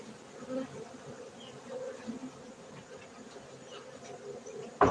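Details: Honey bees humming at a bee-keeping site in Gayo, Bener Meriah, Aceh, Indonesia: a steady low, dense drone of many wings with soft fluctuating swells, ending in a sudden loud knock.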